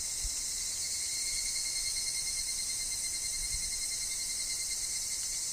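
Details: Higurashi cicadas fill a wood where wind stirs falling leaves. A sustained shrill chorus, steady in pitch and loudness, with a constant thin lower note and a couple of soft low thumps.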